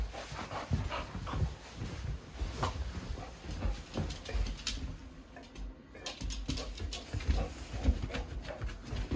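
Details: Large mixed-breed dog Rapunzel from BARCS shelter pants rapidly and steadily indoors, worked up before a walk, with faint whimpering mixed into the rhythmic breathing and occasional quiet human voice in a small room.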